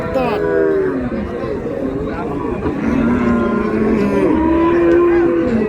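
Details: Market cattle, improved dairy cows with calves, Raniganj, Dinajpur: a moo at the start and a longer sustained one near five seconds, with chattering people and a busy crowd throughout.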